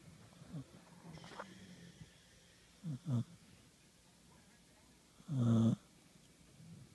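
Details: Two pet dogs in bed, one snoring while the other burps; low rough snorts with a loud, throaty snore near the end and quieter breathing between.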